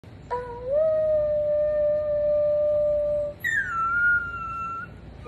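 An Alaskan Malamute puppy gives two drawn-out howls, the second higher and sliding down before holding steady.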